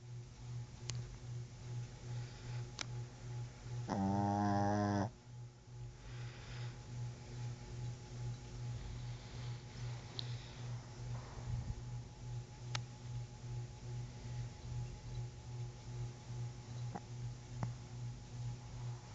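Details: A dog snores in its sleep indoors: one loud, nasal, vibrating snore of about a second stands out, then soft regular breaths continue under a persistent low hum and scattered faint ticks.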